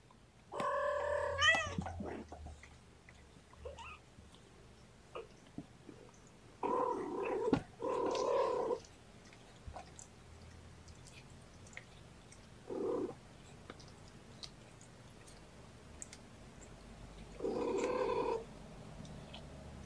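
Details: Gamora, a mother cat, talks to her sleeping litter of five kittens in a kennel: spaced, moderately loud meows, one early bent call, then paired mid-pitched calls and a final steady meow, with quiet indoor background between.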